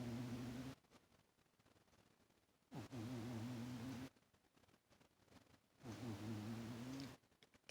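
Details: Toaster the cat, asleep on a lap, snores pretty loud. Four deep, even, humming breaths, each one to one and a half seconds long, repeat at a slow breathing pace, with quiet pauses between them.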